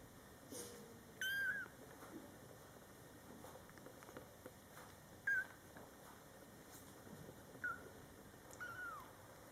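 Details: Young Scottish Fold kittens, born July 22, 2012, in their first month with their mother: four short, high, thin mews scattered over about nine seconds, the first the loudest, with soft rustling between them.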